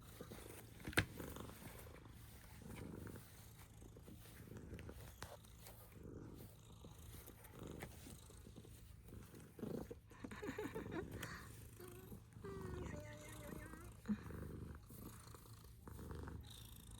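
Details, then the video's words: Snore-like purring from a female pet cat, a quiet low rumble pulsing in soft rhythmic waves over soft room rustles and a few clicks. "She purrs like a snore"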